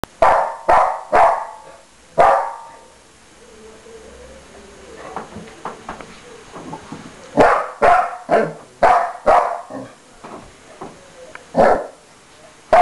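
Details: Blue, a pet dog lying on a bed, barks in a huff because his bone is about to be taken: sharp barks in quick bursts of two to four, with quieter low grumbling between the volleys.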